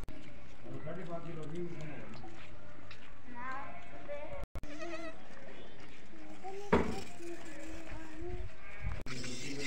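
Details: Goats and their kids on a desi goat farm, the young following the adults and calling together; several wavering, nasal bleats rise and fall in turn, with voices and background farm noise throughout.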